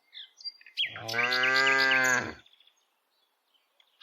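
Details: While dozens of village cows are walked and herded, as happens every day, one tame cow lets out a single long, rich moo lasting over a second, with bird chirps scattered before and over it.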